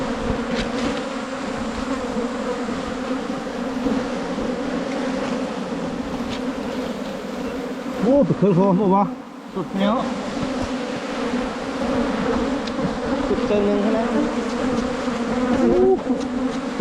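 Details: Constant low humming of wild Asian honey bees at a cavity nest found on a 2022 honey hunt. The drone is briefly masked midway by a man talking, then returns steady and dense.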